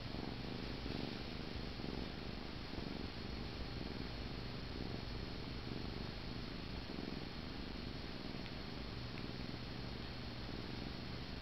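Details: A sleepy kitten named Paneer, cradled in a person's arms, purrs continuously while drifting off, a deep throbbing drone that stays level for the whole stretch in a quiet room.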